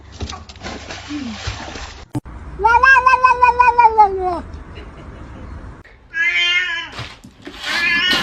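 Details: Domestic cat in a funny compilation giving a drawn-out, harmonic meow that slides slightly downward, then a shorter rising meow, over laughter, talk and background music.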